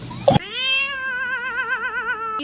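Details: Cat, just scolded for climbing on the fridge, gives one long sustained meow with a wavering, vibrato-like tremble in its second half, preceded by a brief clatter.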